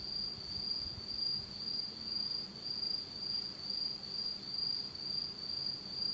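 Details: Insect chorus on an autumn night in Japan in total darkness: a continuous high-pitched ringing trill pulses in loudness about twice per second over a soft low background hum.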